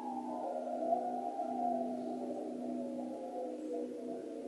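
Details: A hound dog howling at wolves: one long, steady wail held through the whole stretch, smooth and unbroken with layered harmonics and barely any rise or fall, over a faint quiet background.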